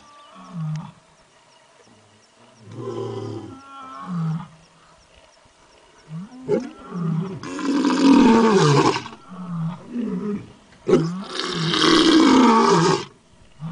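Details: A wild tiger roams and gives deep, rasping roars, two long powerful bursts after shorter grunting growls.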